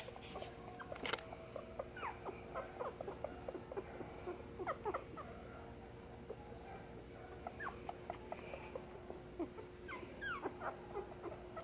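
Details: A litter of eight beagle puppy siblings at a pet shop in Nara, Japan, gives a busy chorus of brief, high whimpers and squeaks that overlap one another.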